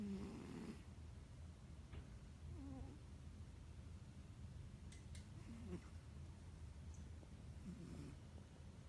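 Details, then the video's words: Domestic cat snoring while asleep, soft low rasping snores recurring roughly every one to two seconds at a quiet level, with a few faint clicks in the room. "My cat snores. Моя кошка храпит"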